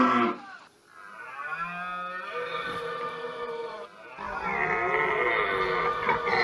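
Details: Red deer during the rut, bellowing: two long, deep, groaning roars, the first lasting about three seconds, the second louder and harsher, rising and sustained to the end.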